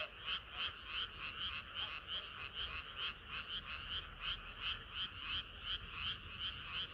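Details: Frogs in chorus on a hot summer night, Korea: dense overlapping croaking with bright pulsed notes repeating about three times a second, steady and unbroken throughout.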